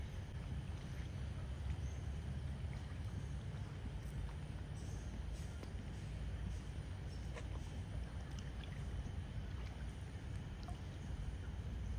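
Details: Only a steady low rumble of wind or water noise outdoors in Singapore Botanic Gardens, with faint scattered ticks and no animal calls.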